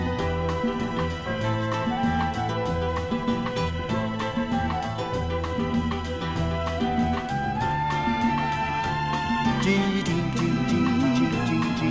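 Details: Lively instrumental music with a steady beat and melodic strings fills the whole stretch, with no animal heard.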